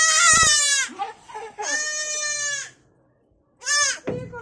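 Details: Goat kid calling for its mother with long, rich, wavering bleats, two sustained cries followed after a short silence by a brief third bleat; faint rustling between calls.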